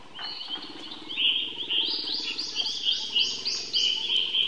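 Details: Baby monkey calling for help: a steady string of high, thin, wavering whines, one running into the next, over a constant low background murmur.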